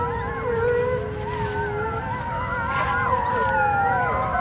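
Wolves howl in chorus, each voice a long, smooth, mournful tone that rises and falls. The overlapping howls weave around one another, with one steady low voice beneath higher wavering ones.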